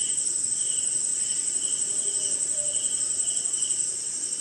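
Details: Rainy-night insect chorus somewhere in India, crickets in front: an unbroken high, ringing trill layered over a rhythmic mid-pitched chirping, backed by a steady wash of falling rain.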